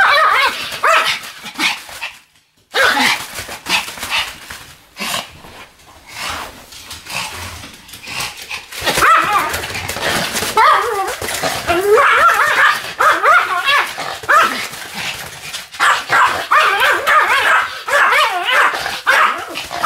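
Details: Pomeranian Sam whirling about 155 times on a new mat, 24 November 2015, produces dense runs of shrill yips and barks, broken by brief pauses, over indoor rustling and occasional speech.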